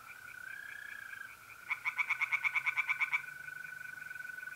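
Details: One short bout of about a dozen quick, loud, clacking pulses from a tree frog in a pond on an April night in north-east Italy, set against the unbroken high-pitched trill of mole crickets and distant frogs.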